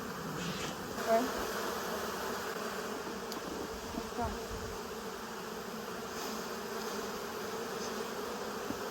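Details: Dense, unbroken roar of a honey bee swarm as people fit a box over it, a thick buzzing drone with little change in loudness throughout, broken by a few faint knocks.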